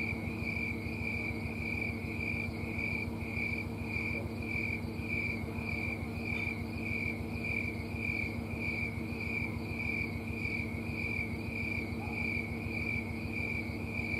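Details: A tree cricket, also called snowy tree cricket, sings from low in a small tree on a Colorado summer night, September 4, 2022. Rhythmic high pulsed chirps repeat at a steady pace, roughly twice per second, over a continuous low droning hum.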